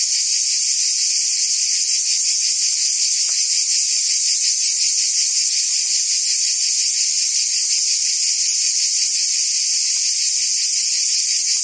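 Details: Summer chorus of cicadas in Provence, southern France, a continuous shrill buzz that never pauses, finely pulsed and even in volume, with faint scattered clicks beneath.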